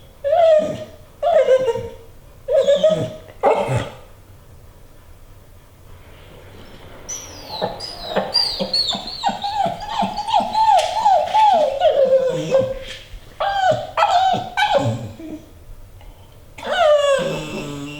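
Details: A female American Pit Bull Terrier whines in high, wavering, nasal bursts, wanting to get on the treadmill.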